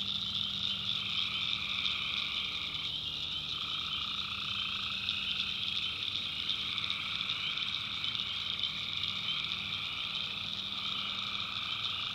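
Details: Tree frogs calling at night in a swamp in the backwoods of North Carolina: a dense, unbroken chorus of high trilling voices, with a lower band of calls that pauses and resumes every few seconds, plus a faint low hum.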